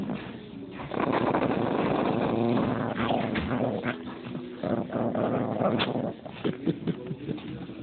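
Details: Vicious Chihuahua producing a continuous rasping growl that swells loud for several seconds, then breaks into choppy, stuttering snarls and whimper-like catches near the end.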